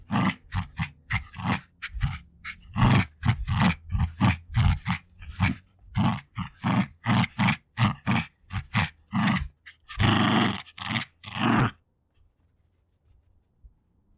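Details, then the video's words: Female Jack Russell Terrier, aged two, growling during a tug over favourite toys, with breathing and sniffing; rapid pulsing deep growls several per second, then a few hissing breaths before silence at the end. "Dog Growling like a Gremlins"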